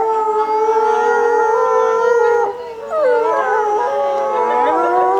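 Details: Captive wolves at Asahiyama Zoo, Japan, howling at closing time on 8 March 2012, set off by the female announcer's voice; steady layered tones hold, drop briefly near the middle, then resume with bending, rising howls.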